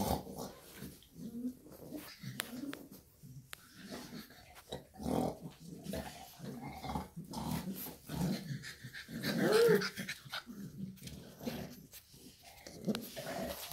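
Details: Shar Pei mother alongside her puppies, producing rough low growls and breathy grunts in uneven bursts, with scattered tapping noises and a louder rumbling stretch toward the middle.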